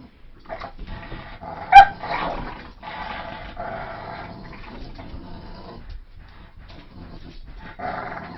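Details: Tugging game with a Staffordshire Terrier, German shepherd and poodle mix: a sharp loud yelp near the start, then quieter, throaty growls that trail on in uneven bursts.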